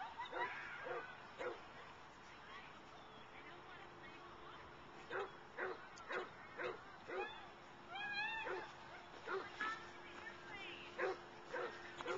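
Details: Wonka, a Boston Terrier/Pug mix, at the dog park during play: a long series of sharp barks at uneven intervals, with people talking and a brief whistling sound partway through.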